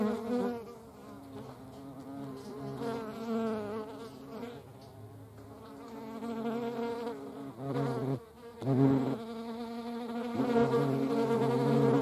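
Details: European hornet flying among honeybees: a steady droning wingbeat buzz with a low tone and stacked overtones, pulsing and swelling louder near eight seconds and again toward the end.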